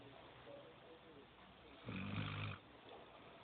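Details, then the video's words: Sleeping female Golden Retriever puppy named Sol Gracia gives a single breathy, rasping snore lasting about half a second amid a faint steady background hiss. "sol gracia sanchez roncando durmiendo golden retriver cachorrita perra cachorra"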